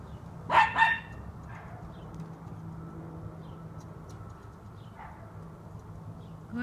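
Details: Junior, a one-year-old black Miniature Schnauzer, on his first time this close to a squirrel, gives one short, sharp, harmonic bark early on, followed by faint low rumbling background and a man speaking quietly to him.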